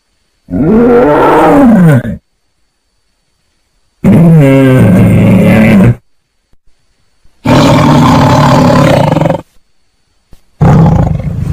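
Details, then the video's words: Tiger giving four long, loud roars, each about two seconds, with deep harmonic tones that rise and fall, separated by short silent gaps. "Suara Harimau"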